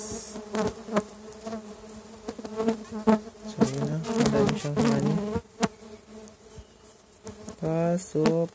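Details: Stingless bees (Tetragonula biroi) from a feral hive, boxed and inspected one month after transfer; steady low buzzing with harmonic bands, repeated flying bees passing close, plus sharp clicks and knocks from handling the box.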